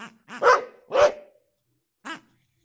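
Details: Boxer dog reacting to his new piggy toy: two short, harmonic, yelping barks in quick succession, then a single shorter bark after a pause of about a second, with a quiet background.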